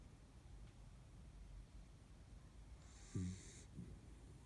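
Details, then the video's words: Sleeping Kaninchen dachshund, one of three sisters, dozing soundly at a window during an afternoon nap. Soft steady low breathing broken by one sharp snort with a faint high whistle, followed by a smaller second snuffle. "カニンヘンダックスフンド いびき"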